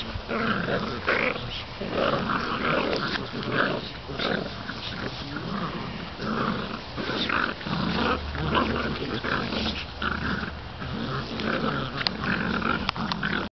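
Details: Seven-week-old Bull Terrier puppies growl and grumble in low, rough, uneven bursts with small yips mixed in as they all tussle over the same gardening glove.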